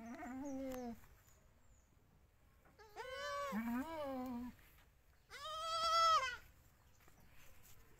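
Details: A newborn Indian goat, 2021, gives three bouts of bleating: a low, throaty bleat at the start, then a paired higher cry with a deeper one, and finally a loud, drawn-out, quavering bleat.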